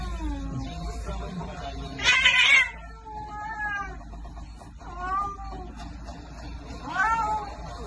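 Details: Domestic cat meowing several times in short bursts, rising-falling harmonic cries near two and seven seconds with softer mews between, over light background music and faint voices.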